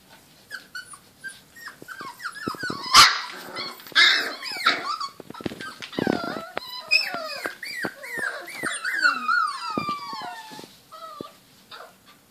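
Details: Border Collie puppies, 28 days old, playing together: a busy stream of high, overlapping yips and whining squeals, many sliding downward in pitch, with scuffling thuds and knocks between the calls.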